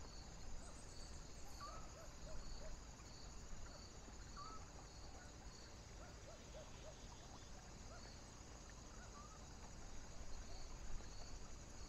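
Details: Crickets on a foggy, windy night: short pulsed chirps repeat about twice a second over a thin, steady high-pitched trill, both sitting beneath a heavy low rumble of wind.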